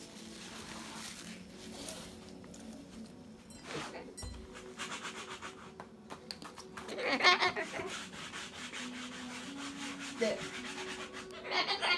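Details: Rubbing and wiping noises fill the clip, with scraping bursts and a faint low hum, but no clear animal call.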